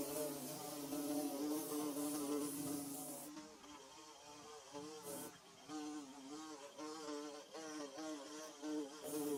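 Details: Bee at work building a nest: a rich, low humming buzz with shifting pitch, masked by a loud hiss for the first three seconds, then clearer with short swells and dips.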